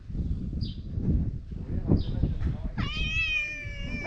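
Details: Stray cat known for chattiness: after soft scattered chirps and low rustling, one long, sustained meow starts near three seconds, holding a steady tone and fading slightly until the end.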